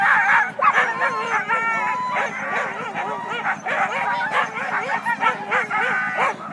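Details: Waiting at the start line in Klamath National Forest, California, on February 9, a team of Siberian huskies bark and yelp rapidly, about three calls per second, with wavering howls woven through the noisy group chorus.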